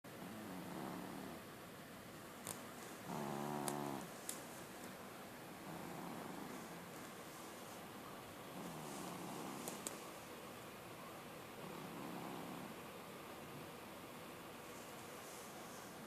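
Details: Sleeping pet cat snoring indoors in a small room, low harmonic rasping breaths rising and falling every two seconds or so, with a few sharp clicks and knocks between breaths.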